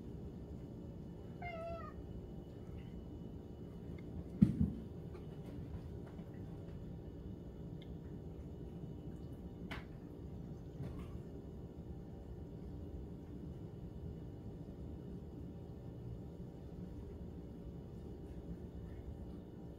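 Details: Backyard camera recording of kittens at breakfast time: a single short wavering meow near the start, then scattered clicks and knocks against a constant low electrical hum.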